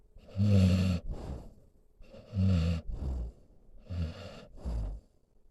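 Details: Senior pit bull mix named Solomon asleep beside his owner, snoring in rough, throaty pairs: a loud rattling breath followed by a softer huffing exhale, repeating roughly three times in under six seconds.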